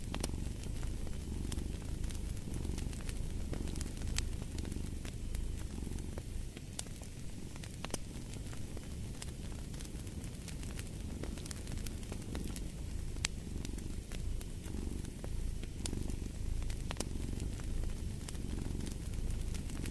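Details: Low rumbling purr of a cat, partly masked by a crackling fireplace, its soft breathing rhythm continuing beneath frequent sharp pops of burning wood.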